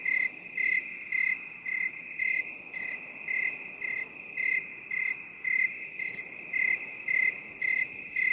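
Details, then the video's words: Cricket sound in binaural 8D mode: crisp, high, evenly spaced chirps roughly every half second, about fifteen in all, layered over an unbroken shrill trill and faint hiss. "8D CRICKET SOUND"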